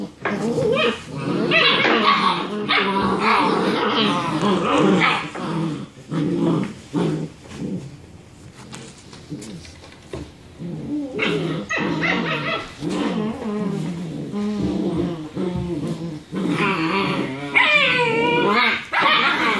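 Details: Six-week-old German Shepherd puppies, three boys and four girls, play fighting after their evening meal: dense rough growling, snarling and yappy barks in rapid bursts, a quieter lull midway, then high whining yelps near the end.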